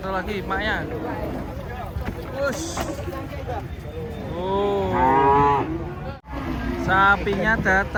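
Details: Giant, aggressive cattle coming down from a truck: short harmonic moos and lows mixed with excited speech and shouting from handlers, with a stronger rising moo near the end.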